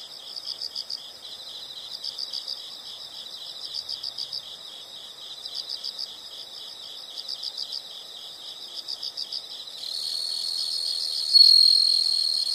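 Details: Insects calling: steady rhythmic bursts of rapid high-pitched chirps roughly every second, ending in a louder continuous shrill trill over the last few seconds.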